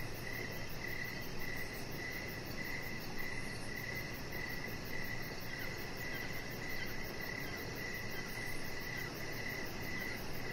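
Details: Crickets chirping outdoors in the evening beside a deck where a chihuahua puppy lies: bright, even chirps repeated roughly twice per second in a steady rhythm over a broad, constant low rumble and hiss.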